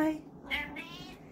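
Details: Male pet cat greeting its owner indoors with a short, soft meow, partly overlapped by the owner's quiet talking to him.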